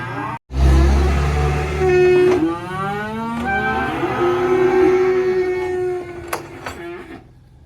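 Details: Black sacrificial cattle unloaded from a truck at a rural pen, one lowing in long harmonic moos that rise and fall, over a low vehicle engine rumble and a sharp knock near the end.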